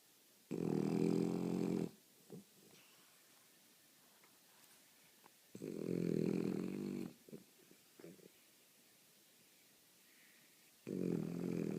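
A French Bulldog snores in long, rumbling, low breaths spaced several seconds apart.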